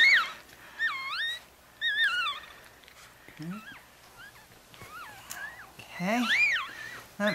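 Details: Chihuahua pups four days old beside mother Bess, litter of five in Fredericksburg, Virginia, give shrill wavering squeals that swoop up and down, several overlapping in quick succession, with soft human talk in the background.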